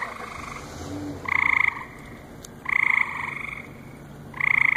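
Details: Frog calling at a lily pond on a July night, July 7, 2014, at the Cranbrook Institute of Science: three nasal, two-toned croaks about 1.5 seconds apart, each about half a second long, over a steady pond hiss.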